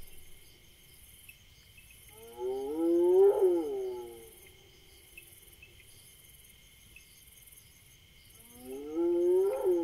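Two drawn-out, croaky, harmonic wails from a Senegal bushbaby, each rising then falling, about six seconds apart, over a steady whine of night insects.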